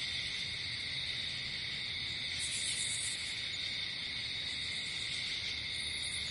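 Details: A night chorus of crickets in nature: dense, shrill, continuous high-pitched trilling in layered bands, with a slight brighter swell of higher buzzing near the middle.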